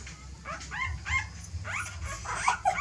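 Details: A short run of rising-and-falling dog whimpers, about six cries in three seconds, while a mother dog apparently moves her puppies to change the nest; faint low hum behind.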